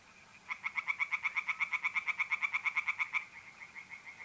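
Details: Pond tree frogs calling on an April night in north-east Italy. A rapid series of sharp, nasal clacks runs for almost three seconds, then stops. A faint, even mole cricket trill carries on underneath.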